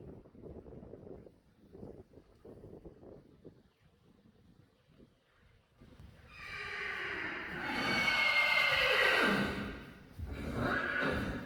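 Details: Friesian horse neighing on a summer day with rain after a dry spell: after quiet shuffling and soft voices, a loud whinny of about four seconds rises then falls in pitch, followed by a shorter, softer second call.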